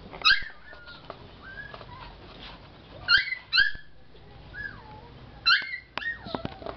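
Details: Lhasa Apso puppy, male and four months old, Batangas area, producing repeated high-pitched whimpering yelps in short bursts about every two to three seconds, with thin sliding whines between them and faint clicks.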